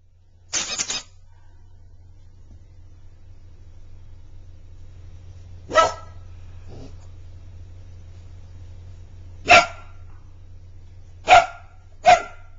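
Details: A Border Collie puppy playing with a toy hedgehog gives short, sharp barks spaced several seconds apart, the last ones closer together, over a steady low hum.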